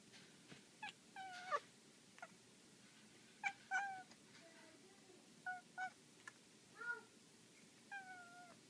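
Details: While a black female house cat plays with a laser, she gives a string of short chirrups and trilled mews, some rising and some falling, spaced irregularly every second or so with quiet gaps between.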